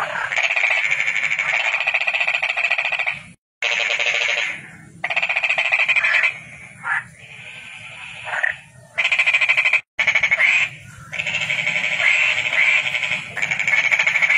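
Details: Toad producing sustained buzzing trills of rapid pulses, with short breaks and two abrupt silent cuts, plus faint low background hum.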